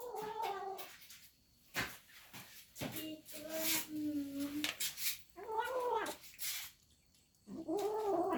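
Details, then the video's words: Domestic cat calling out while eating, with rising and falling drawn-out meows and wavering moaning tones between clicking and clattering sounds of chewing or dishes. "cat makes noise again eating"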